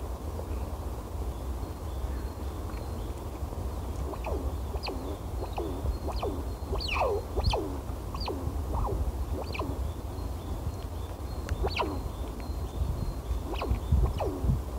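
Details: Squirrels talking to one another while eating in Balatovsky Recreational Park, Perm, Russia: short, sharply down-sliding chirps given singly or in quick pairs at irregular intervals, over a steady low rumble.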